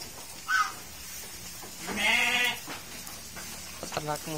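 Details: Local sheep fattened on fresh green fodder at a durian garden farm in Wonosalam: a wavering, harmonic bleat lasting about half a second, then a shorter, broken bleat near the end, over a murmur of voices and farmyard noise.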